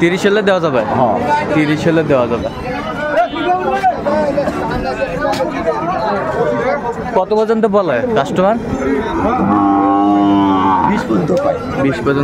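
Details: Sahiwal bull calves at Ambari market in Dinajpur, Bangladesh, 11 March 2024, during early Ramadan: loud, close voices dominate at first, then a sustained harmonic moo stands out for about a second before the end.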